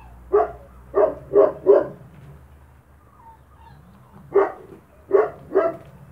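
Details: Spanish Mastiff from the Vegas Altas del Guadiana, Spain, among puppies eating kibble: a series of short mid-pitched barks, three quick ones then a pause and three more, over a low background hum.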